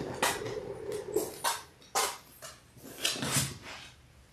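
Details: Labrador Retriever puppies in their sixth week, from a litter of six, let out a thin whine early on. Sharp clattering knocks of moving bodies or objects in a small room follow.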